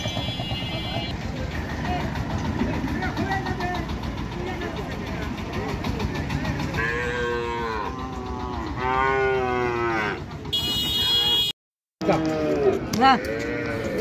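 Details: Sahiwal and local cows with calves at Mataji cattle market in Naogaon, Bangladesh; loud drawn-out moos stand out over a busy crowd murmur and a vehicle engine, with a brief burst of music and a short break near the end.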